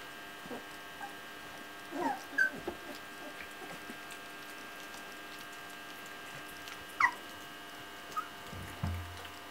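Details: Old English Sheepdog puppies in June 2014, learning to walk properly and playing with each other: brief, high, squeaky whimpers near two and seven seconds, then a low grumble at the end, over a quiet indoor background with steady humming.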